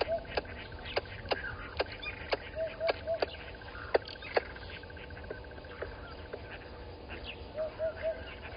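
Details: Alarm clicks of a squirrel reacting to a water monitor lizard at Gowrie dam, Djuma Game Reserve, Sabi Sand Wildtuin, South Africa, 10/04/20, 11:45; loud sharp ticks spaced unevenly, soft whistled triplets in between, faint low rumble beneath.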